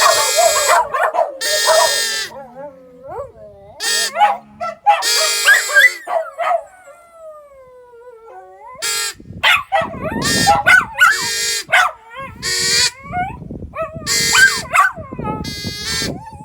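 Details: Several dogs howling: long, wavering, sliding tones that rise and fall in overlapping voices, broken by loud, harsh bursts and short gaps of near silence, with the howling building again toward the end.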